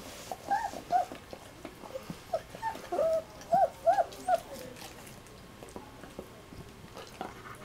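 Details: German shepherds, the sire Titan vom Theishof loving on his son and puppies indoors; thin, high whimpers rising and falling in short arched squeals, several in quick succession mid-clip, then fading to quiet room noise.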